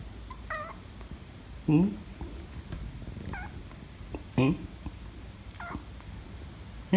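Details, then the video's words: Two rescued cats at home, a kitten and a tabby meeting for the first time; bending, slightly rising meows repeat every second or so, some louder and lower, over a faint low hum. "The Rescue Kitten Meets Tabby Cat For The First Time, Kitten Angry? - Cats Meowing"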